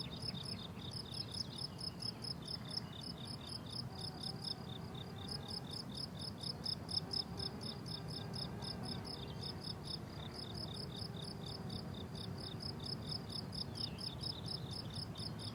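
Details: Summer meadow in bloom with several crickets calling: dense, high-pitched chirps in fast pulsed runs, broken by brief pauses, above a soft low background hum.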